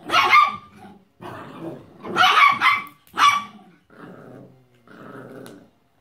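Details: Italian Greyhound puppy playing indoors with Chiki, a miniature pinscher and chihuahua mix, over a visiting weekend; rough, growly barks come in five bursts, three loud and harsh, followed by two softer, throaty grumbles.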